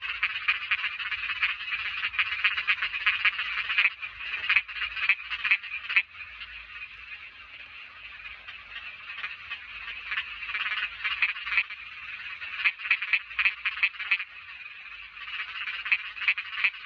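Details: Small frogs calling, as named in Thai: a dense, continuous rasping chorus of many overlapping croaks, with bursts of louder clicking notes rising above the steady trill and brief dips in intensity.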